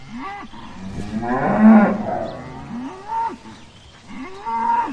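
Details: Dairy cows at milking time: one full, loud moo peaks near the middle. Shorter rising-and-falling bellows come before and after it, and some faint background noise runs underneath.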